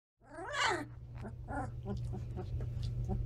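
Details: Standard Poodle puppies, 17 days old, filmed on October 28 in their new, bigger home. One pup gives a sharp, wavering squeal that rises and falls. Softer squeaks follow over a steady low electrical hum.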